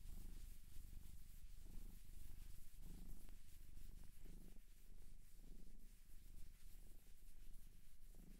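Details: Purring domestic cat, adopted from a Japanese shelter, in a close indoor ASMR recording: a low throbbing purr rising and falling with each breath, partly covered by a hissy, scratchy rubbing noise.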